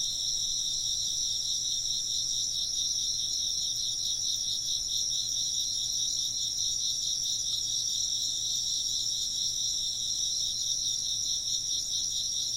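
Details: High, buzzy insect trills pulse rapidly and overlap in a steady nocturnal-style chorus, several voices at slightly different pitches, constant and unbroken, with almost nothing in the low range.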